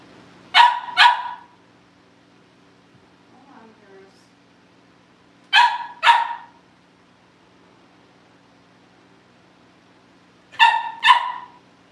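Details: Cavalier King Charles Spaniel puppies in a home litter awaiting family pick-up: three bursts of paired high-pitched barks, each pair a quick double yap, repeated roughly every five seconds over a quiet background with faint murmuring between.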